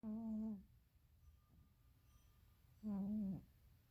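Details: Pet cat in its deepest nap, snoring louder than a human: two loud, droning, buzzy snores about three seconds apart, each a steady hum that dips at the end, with a faint low rumble of breathing between.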